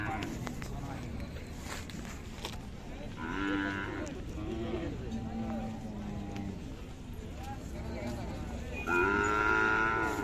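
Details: Khillari cattle at the Sangola cattle market, 5 May 2024; several low, drawn-out harmonic moos, one around the middle and a louder one near the end, over busy market chatter, voices and background noise.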